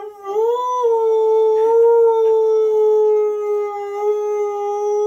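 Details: Husky/malamute mix male dog, three and a half years old, a frequent singer who howls along to adverts, gives one sustained melodic howl: a brief rising onset, then a steady, slightly falling tone held for five seconds, rich in overtones.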